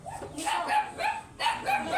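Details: Whining from an oversized Golden Retriever during stud service at Laoac, Pangasinan: two bursts of repeated high, slightly rising yelping whines, about four notes each, separated by a brief pause.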